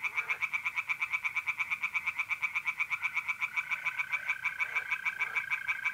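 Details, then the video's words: Tree frogs singing by night in a pond in mid-April, north-east Italy: rapid pulsed croaks, about two per second, in a dense steady chorus, with a continuous trill of mole crickets beneath. "relaxing singing tree frogs in pond and trilling mole crickets by night"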